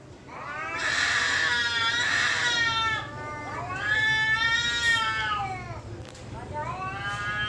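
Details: Cats fighting at a temple, giving long wavering yowls with rich harmonics that rise and fall, two drawn-out howls in succession, a third starting near the end, sounding almost human against a steady low background hum.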